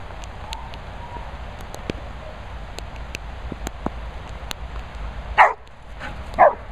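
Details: Labrador Retriever at a Worcestershire countryside dog training and boarding kennels, giving two loud harsh barks about a second apart near the end, after a stretch of low background rumble with faint ticks and clicks.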